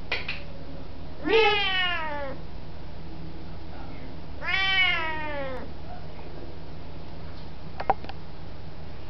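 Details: Siamese cat saying hello in a 2005 indoor recording: two deep, loud, drawn-out meows about three seconds apart, each rising briefly then falling in pitch, followed by a faint click and low background hum.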